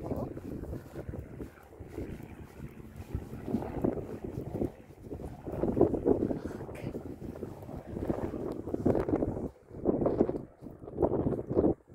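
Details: Gusty wind buffets the microphone in rolling surges outdoors, with faint voices mixed into the roar.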